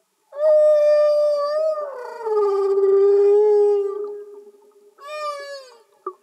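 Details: A humpback whale singing underwater: a high wail that slides down into a long, lower moan, then after a brief pause a shorter falling cry, clear and free of music.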